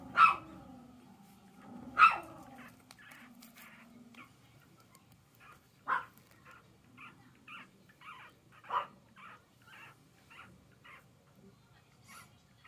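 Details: Female Chihuahua-poodle cross puppy giving two sharp, high-pitched yipping barks about two seconds apart at the start, then a string of fainter, short clicks and softer yips spaced roughly every second over a quiet background.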